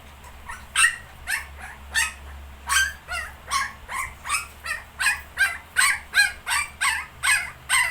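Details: ['Nineteen-day-old puppies with a Shih Tzu; a long, even series of shrill barks, roughly two each second, continuing without a break over a low background hum.']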